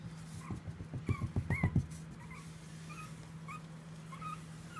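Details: Pomeranian puppy Hawkeye at play gives thin, rising whimpers spaced about every half second, while a quick run of low thumping pulses from moving paws or handling sounds near the start beneath a constant low hum.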